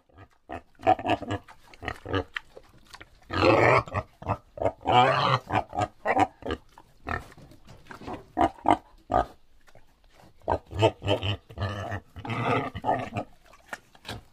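A wild boar gives rapid rough grunts broken by longer, shrill squeals.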